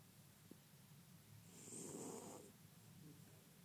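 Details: A male French Bulldog gives a single rough, rattling snore that swells and fades over about a second.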